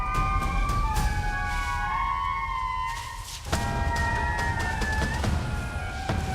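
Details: Indri (Indri indri), alarm call: warning of a predator, the fossa.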